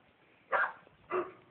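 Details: Two short, rough barks half a second apart from a bulldog that keeps barking whenever people are outside, over a faint background hum.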